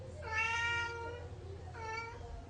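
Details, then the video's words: House cat indoors, eager to grab a spider, gives two meows: a long wavering one followed after a pause by a shorter, slightly higher one, over a steady low background hum. "Why My Cat Can’t Stop Wanting That Spider"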